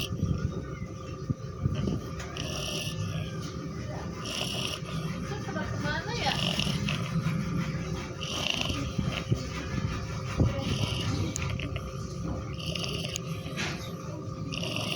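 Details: Cat asleep and snoring, its low rasping breaths returning roughly every two seconds over a droning low hum, with faint talking in the background.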